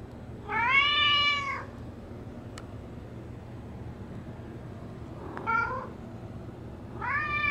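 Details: Female house cat Bean calling at the door as hard rain falls: three bright harmonic meows, a long arched one, a short one about four seconds later and another near the end, with quiet room hum between.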